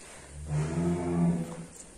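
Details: Douglas, a fat cattle called the champion, gives a single deep, steady moo of about a second with a rich, buzzy tone. It rises from quiet and fades away, with faint background noise.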